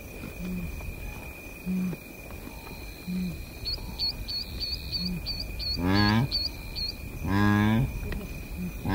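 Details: Blue wildebeest grunting close up in the Masai Mara Game Reserve, Kenya: two loud, deep, nasal grunts near the end, rich in harmonics. A steady insect drone and a rapid series of high bird chirps run behind them.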